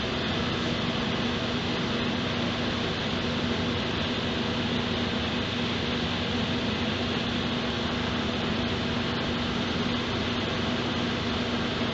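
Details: A constant broadband hiss, like a fan or air conditioner, fills the room with no animal calls heard.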